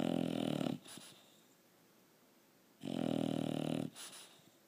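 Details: Pet bulldog snoring: two loud, rough, rattling snores, each about a second long with a low buzzy hum, separated by roughly two seconds of quiet breathing and a faint snuffle.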